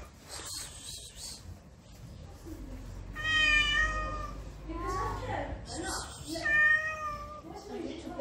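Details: Street cat in Morocco, in heat and sexually aroused, letting out two long, moaning, harmonic meows with a trembling, slightly rising-and-falling tone, separated by short breathy noises.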